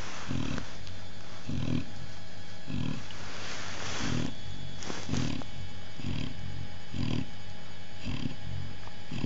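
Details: Chow Chow Oliwka and her hungry babies: deep rhythmic grunts arrive about every second, with a few brief higher noisy bursts mixed in and constant low hum behind.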